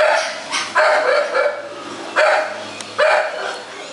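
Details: Thai Bangkaew dog at Chumsangsongkram kennel in Thailand, playing happily; three sharp, bright barks at irregular gaps, each a short burst with a strong low tone, over a steady background hiss.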